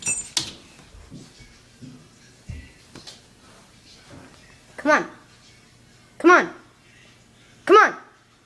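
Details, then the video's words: Fighting dogs indoors: three loud, arched yelping barks spaced about a second and a half apart near the end, after a stretch of soft rustling, clicks and faint voices. "Dog fight"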